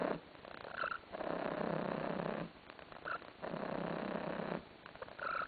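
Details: Domestic cat named Tarasik, content and lounging on a sofa, purring in long steady rumbling phrases about a second and a half each, separated by short pauses, with brief high squeaky creaks at the phrase breaks.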